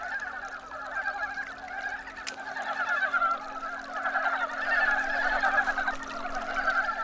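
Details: Brown frogs in early spring, newly emerged from winter sleep under stones in a stream, males pursuing females to mate; a loud, unbroken mass of clucking, rattling croaks from many callers, swelling in the second half, one sharp click early on.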